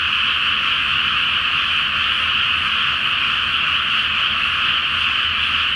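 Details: Many frogs calling together after dark from a flooded rice field before planting, full Flower Moon reflected on the water; seamless, dense croaking chorus, uniform in loudness, with a soft low hum underneath.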